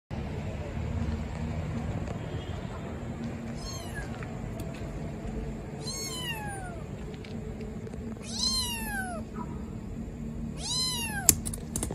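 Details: Abandoned baby black kitten in a trash box on the street, meowing loudly: four high, harmonic-rich cries, each sliding downward, spaced about two to three seconds apart over a steady low background hum.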